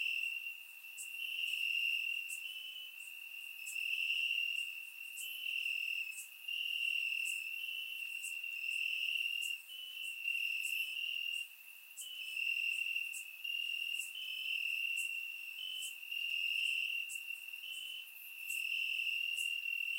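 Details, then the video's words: Warm summer night in Bulgaria, crickets singing from the grass: an unbroken high trill with rhythmic brighter chirps repeating steadily about four times every few seconds, loudness rising and falling in waves, surround microphone recording. "Cricket Sounds - Crickets Chirping at Night"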